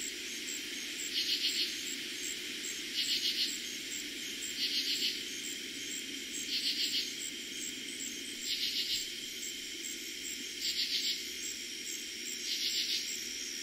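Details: Katydids at night in eastern Pennsylvania, summer 2021, their first night of calling: seven scratchy bursts of rapid pulses, each half a second long, repeated about every two seconds against a constant high-pitched cricket chorus.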